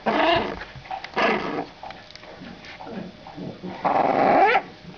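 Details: Two female French Bulldog puppies, 27 days old, born 23 December 2011, starting to play and growl; short raspy growling bursts and squeaky whines come in three louder bouts, with scuffling between them.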